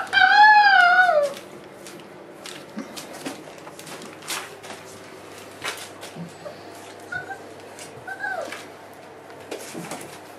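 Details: One loud, wavering whine from a four-week-old Boerboel pup beside its mother Aston opens the recording, shaking up and down for about a second, followed by quiet rustling and a few faint squeaks.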